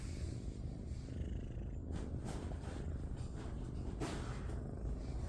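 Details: Indoor tabby shelter kitten, part of a playful litter of sisters, giving a loud, even, deep purr that pulses rapidly and never pauses, with a few soft handling rustles.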